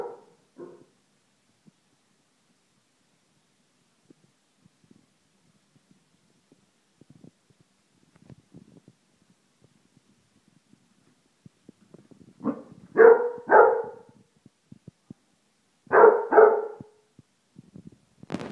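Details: A female Basset Hound barks at a deodorant spray she hates, giving deep, booming barks in short bursts after a quiet stretch.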